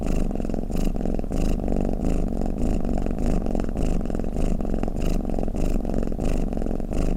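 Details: Snoring cat: a steady, low, rumbling drone with soft, regular breathy pulses repeating about every half second throughout.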